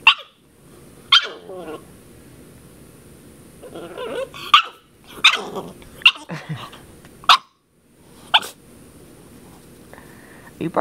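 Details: Puppy Princess Zelda, ten weeks old, barks at a water bottle indoors: sharp, piercing little yaps spaced irregularly, mixed with grumbling growl-like sounds, then a quiet stretch.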